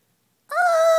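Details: Odin, a ginger kitten indoors at night, whining because he wants to go out onto the balcony; a single short, steady tonal whine with clear harmonics, opening abruptly after a soft word.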